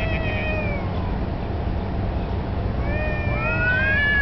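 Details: Street cats in a standoff that may be a territorial challenge or mating, a black cat turning submissive. A wailing yowl fades early, a quieter gap follows, then a rising, wavering howl returns, all over steady low rumbling.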